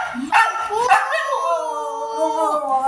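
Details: Siberian Husky giving a drawn-out, tonal howling call that slides up sharply after two short opening yelps, then holds a steady, slightly wavering pitch for about two seconds.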